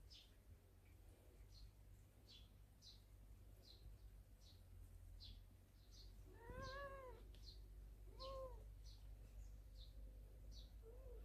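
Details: Cats from a family living in a storehouse, basking in the morning sun. Two clear meows stand out midway, one drawn-out and falling, then a shorter one, while small birds chirp steadily in the background.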